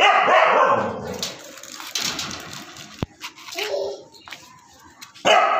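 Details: Siberian Husky named Prince, a pet dog, gives a loud harsh bark at the start, then quieter scattered noises and a short tonal yelp midway, ending with another loud bark burst.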